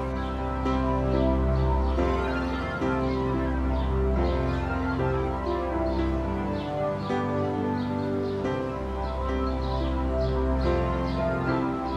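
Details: Soft, sustained instrumental music with layered steady tones and a gentle pulsing rhythm throughout, no animal voices audible.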